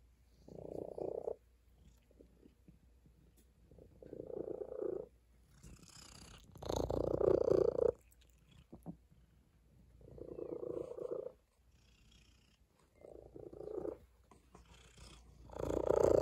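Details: A tabby cat on a table purrs in repeated rumbling pulses roughly every three seconds, one burst notably louder midway, with soft rustling and a low background hum.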